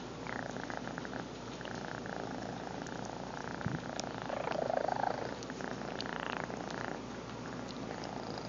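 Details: Lil BUB, a pet cat, purring into a nearby phone microphone; an even, grainy vibrating drone that grows a little louder around the middle, with small clicks of movement.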